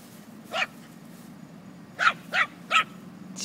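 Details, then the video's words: Chihuahua playing with a puppy, the pair named Moxy and Hopper: one sharp, high yapping bark, a pause of over a second, then three quick yaps about a third of a second apart, over a low indoor hum. "Chihuahua playing with puppy"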